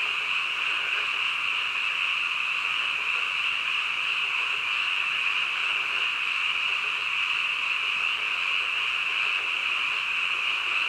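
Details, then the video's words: Frogs calling at midnight in a dense, unbroken chorus, a bright continuous high trill at steady volume, with occasional faint lower croaking pulses showing through the wash. "한밤중 개구리 울음소리"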